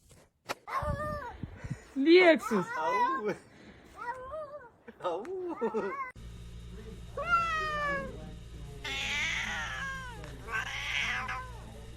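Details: Pet cat in a comedic cat compilation, several drawn-out meows with falling pitch across spliced segments, mixed with human voices talking and a low background hum.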